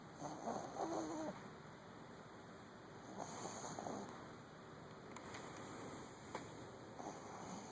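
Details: Luna, an overweight pet dog, snoring while asleep indoors: soft, breathy, rasping snores in two bouts early on and again around the middle, separated by quiet stretches over a steady faint hiss.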